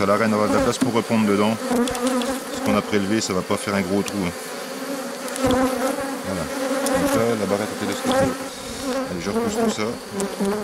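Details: Agitated honey bees swirl around a drone-laying hive being given a brood frame and nurse bees from the next hive, 3 May 2021. A deep, steady buzz is broken by gliding pitch swoops and scattered tapping sounds.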